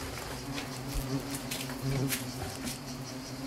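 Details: Asian hornets attacking at Nîmes, their wings giving a continuous low buzz with wavering harmonic bands that brighten around the second mark, over light rustling and ticking noise.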